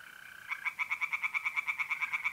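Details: A tree frog in a pond in north-eastern Italy calls on a mid-April night. Brisk, evenly spaced rasping knocks begin after half a second and cover a steady background trill from mole crickets.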